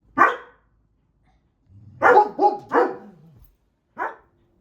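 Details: Domestic dogs bark in sharp bursts, several in quick succession, raising the alarm at a snow scooter outside that they treat as a trespasser, before being trained to sit quietly for treats.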